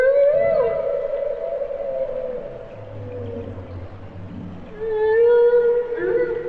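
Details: Humpback whale singing: a wavering moan that dips and fades, a low grumbling rumble in the middle, then a fresh sustained tonal note rich in harmonics.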